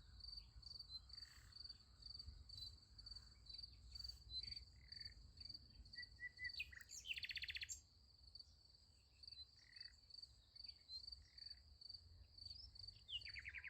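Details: Crickets at night beside a sunflower field, giving a steady high, pulsed chirping that runs through the whole recording, with short bird calls and a brief rasping burst around the middle over a low rumble.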